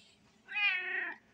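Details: Old male pet cat, tired out after playing with a toy mouse indoors, gives a single drawn-out meow lasting under a second, steady then falling at the end, in a quiet room.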